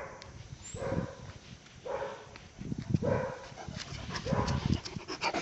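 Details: Deep, resonant barks from Pələng, a Caucasian Shepherd Dog aged one year and one month in Azerbaijan. Four heavy barks come about a second apart, with rumbling low noise between them.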